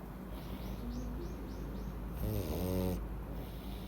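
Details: Pug named Louis in a deep sleep after filling up on treats, with a quirky snore: a series of soft, rapid sniffling wheezes, then one loud, buzzy, rattling snore near the end.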